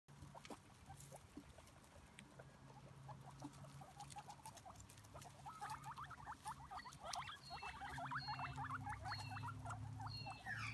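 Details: Five guinea pigs eating grass outdoors, giving quick, short chirping chuts more than twice a second, growing louder toward the end. A steady low hum runs beneath, with a few higher squeaks near the close.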